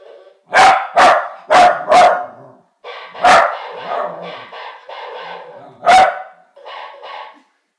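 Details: Corgi barking in a back-and-forth with a mechanical parrot: a quick run of four sharp barks, then single barks, alternating with buzzy, blocky toy-parrot sounds between them.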